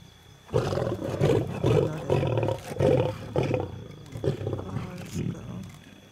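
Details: Wild lions of a pride squabbling while feeding at night, South Luangwa National Park, Zambia, July 2007; harsh snarling growls in rapid bursts, about two per second, with brief human voices in the background.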